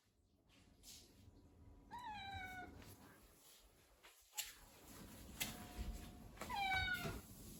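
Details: Relaxed pet Ragdoll cat indoors giving two short, descending, slightly whiny meows a few seconds apart, over a quiet background of faint rustles and soft room noise.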